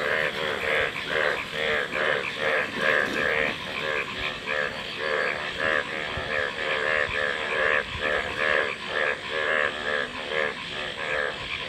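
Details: A dense frog chorus of overlapping pulsed, rattling croaks repeated roughly twice per second, swelling and fading in waves over a steady high hum, with no other clear sounds.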